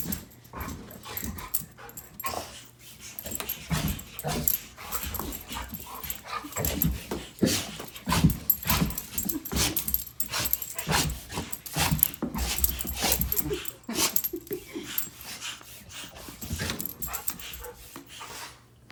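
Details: Frightened of an air pump, a dog sneezes furiously in a long irregular series of harsh, noisy snorts and puffs, about two per second, over a constant low electrical hum.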